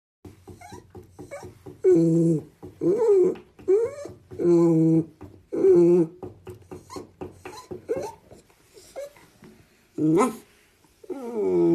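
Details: Pet animal indoors giving a series of tonal, wavering calls, each about half a second long, with short clicky and breathy sounds between them, closing on a longer call that falls in pitch.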